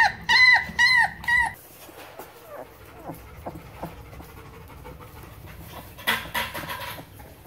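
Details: Seventeen-day-old German shepherd boxer mix puppies produce three loud, drawn-out whining cries at the start, then fainter scattered squeaks and a burst of noise near the end.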